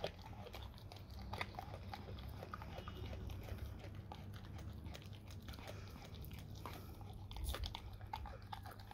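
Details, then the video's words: Raw cow tongue being eaten by a dog: dense, continuous wet crunching and clicking bites, busy throughout, over a strong low rumble. "dog eat raw Cow tongue"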